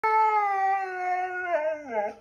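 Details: Siberian Husky howls one long, steady, clear tone that slowly sinks in pitch, then breaks into a wavering, lower, yodel-like ending.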